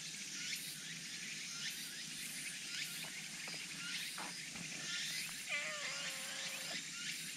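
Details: A black cat that has come by lets out one long, level meow of more than a second. It begins with a short rising onset over a constant backdrop of high, rhythmic insect-like chirping and a few soft knocks.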